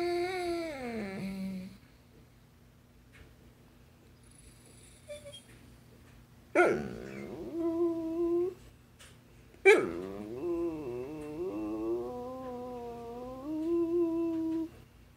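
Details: Talkative basset hound indoors, seemingly trying to tell its owner something: a wavering howl that falls away, a long quiet stretch, then two more bursts of modulated, yodel-like whining with gaps between.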